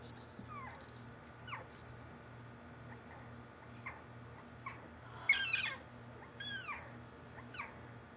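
A Bengal tiger cub gives short, high, mewing calls that arch up and down, over a low steady hum.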